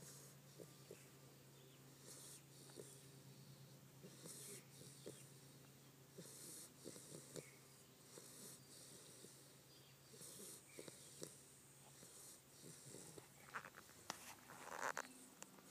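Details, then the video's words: A 7-week-old Staffordshire bull terrier puppy snoring: soft, breathy snuffles and wheezy puffs come at uneven intervals over a steady low hum, with a sharper snort near the end. "7 week old beautiful staffy snoring"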